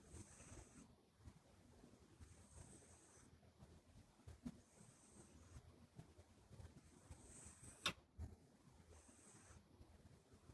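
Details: Sleeping Minuet kitten named Buri, flat-faced and short-legged, whistling through its nose as it always does when asleep: steady, airy snore breaths, each topped by a thin high whistle roughly every two seconds.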